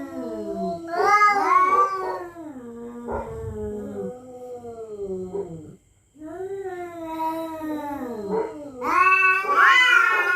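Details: Territorial cats at night threatening each other: repeated warbling, bending yowls trading back and forth, a short silence, then a louder, harsher, high-pitched screaming wail at the end.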